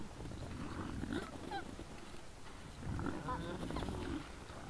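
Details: Wild boars caught on a trail camera on the evening of 17 December 2022 at 20:17, uttering gruff low grunts with a few brief high squeals, louder bursts around the middle and end.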